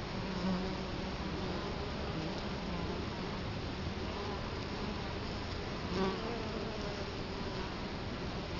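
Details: Italian honey bees at a hive entrance in Colorado Springs, 2011, filmed with the camera right in front of the hive; a steady low hum of many wings, with brief louder buzzes as single bees pass near.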